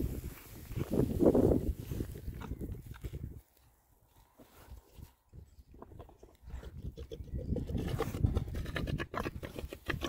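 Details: Oxford Sandy and Black pigs, a rare breed, six males enjoying a winter forage between storms; dense low grunting for the first few seconds, a near-quiet pause, then grunts and rustling resume steadily.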